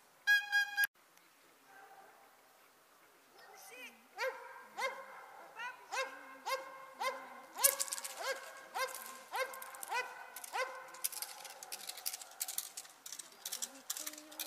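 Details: Dobermann in Ring 2 attack work: a brief whistle-like tone and quiet voices open, then a fast, insistent run of barks, about four per second, growing dense and noisy with clattering sounds around it.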